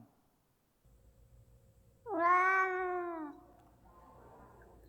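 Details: Cat played as the second question of an animal sound quiz: a single drawn-out meow, rising slightly then falling, lasting over a second after a quiet lead-in.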